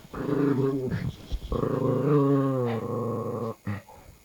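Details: Two pet dogs, one larger and one smaller, making strange noises indoors: a drawn-out, moaning growl with wavering, singing-like tones, held about two seconds at a time, broken by short pauses.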